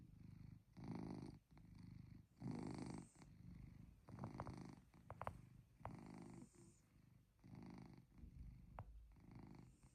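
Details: Pet cat Chloe snoring during a cozy night in, a low motor-like rumble rising and falling with each breath about every second and a half, with a few faint clicks and small snorts between breaths.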